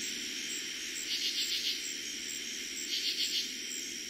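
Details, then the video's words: Katydids calling after dark in eastern Pennsylvania on the first night they were heard in summer 2021; two buzzy bursts of about four quick pulses each, two seconds apart, over a steady cricket hum. "Katydids and Crickets Sounds at night"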